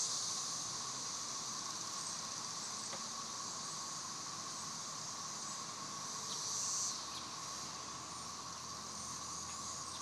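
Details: Brood XIX periodical cicadas singing and mating on a warm sunny Tennessee afternoon; a dense, unbroken droning chorus with a high shimmering hiss over a steadier lower whine, holding constant throughout.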